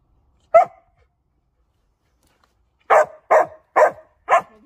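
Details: Dog barking: one sharp bark, a pause of about two seconds, then four loud, clipped barks in quick succession, roughly half a second apart, in otherwise silent surroundings.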